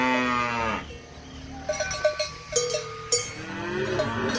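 A cow gives a deep, drawn-out moo that drops at the end, followed by clanking cowbells.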